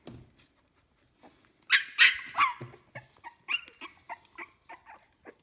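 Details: Puppies aged 15 days in a kennel litter let out a few loud, harsh squeals, then fall into soft, rapid, short whimpers spaced a fraction of a second apart.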